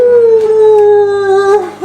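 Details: An Old English Sheepdog, one of two dogs being taught to howl by their owners, gives a long, steady howl that slowly sinks in pitch, then wavers at the end.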